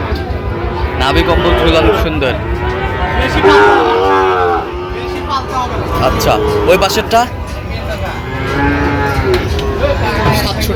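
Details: Sahiwal bull calves lowing at a Sylhet cattle market, Bangladesh, late September 2025: repeated moos, some short and some drawn out with wavering pitch, from many animals at once amid crowd noise.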